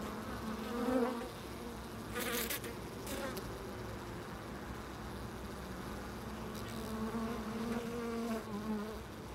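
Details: At a loading dock, bees hum in low, steady buzzes, one close pass early and a longer drone later, broken by brief bursts of broadband clatter.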